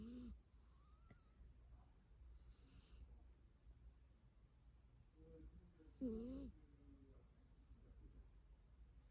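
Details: Byeol-i, a house cat, snores in its sleep. Long quiet stretches of faint breathing are broken by one sharp, wheezy whistled snore of about half a second, and a brief start opens the recording, in a quiet indoor room.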